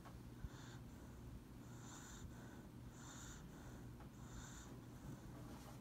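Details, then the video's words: Lucybelle, a pet dog, naps on a lap, snoring softly: breathy, nasal bursts recur roughly every one to one and a half seconds over a steady low indoor hum. "Dog snoring and sleeping"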